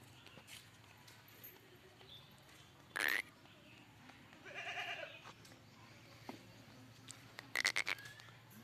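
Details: Barbari goat at a goat farm in Jaunpur; a single wavering, nasal bleat lasting about half a second mid-recording, framed by sharp clattering knocks before and after, over a steady low hum.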